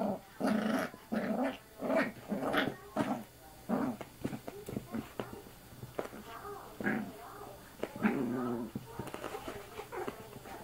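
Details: Sammy, a young female puppy, grumbling and growling as she plays at a person's arm; short uneven growl bursts, fading into softer whimpering noises toward the end.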